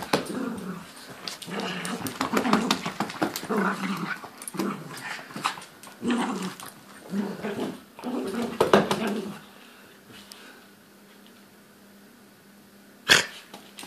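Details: Louis, a toy poodle, growls while ragging a teddy indoors: bursts of rough, buzzy growling with shaking and scuffling for about nine seconds, then quiet room hum and one sharp knock near the end.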